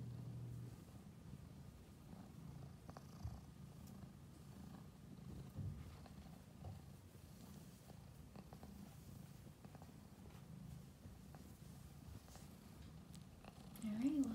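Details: A runt kitten purring softly: a low, steady, rumbling purr with a pulsing rhythm runs through the recording, with faint rustling and a brief higher tone near the end.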